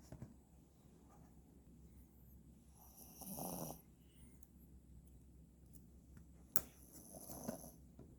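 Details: Dog snoring while being groomed: two soft, breathy snores near three and seven seconds over a low steady hum, with a sharp click between them.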